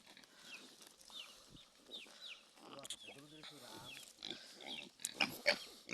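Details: Domestic pig on a farm, a sow that has just given birth; high, thin squeals sweep up and down in quick bursts, with people talking partway through and a few sharp clicks near the end.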